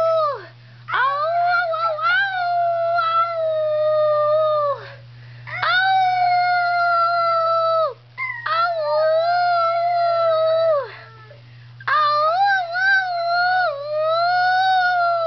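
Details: Schnauzer howling: four long, drawn-out howls of about four seconds each, separated by short pauses, the pitch wavering and sliding down at the end of each, over a steady low hum.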